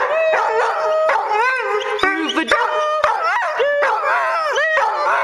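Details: Small pet dog singing along to its favourite tune, long bending howls and yips sliding up and down above a loud orchestral melody.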